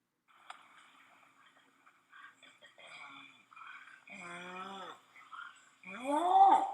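A Bornean orangutan's long call: deep, harmonic pulses that swell into rising and falling bellows.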